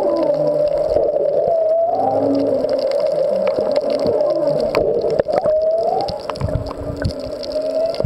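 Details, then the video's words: Underwater humpback whale song at Molokini's Back Wall offshore of Maui, the whales nearby but not seen: several rising whoops sweeping upward and low held moans, set against a constant hum and crackling water noise. "Whale Songs at Molokini"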